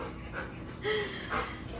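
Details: Benny, a pet Bernese Mountain Dog, tested indoors on whether he will steal food off the table: soft breathy huffs in a few quick bursts, close by, with faint room noise.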